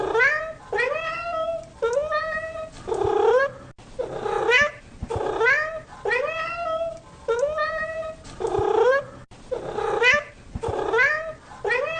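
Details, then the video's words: Cat meowing repeatedly and urgently, short rising-falling wails in quick succession, some with a rough, strained edge, about ten cries in twelve seconds, with faint clicks between them. "Cats Meow 10 Minutes of Cats Making Meow Sounds"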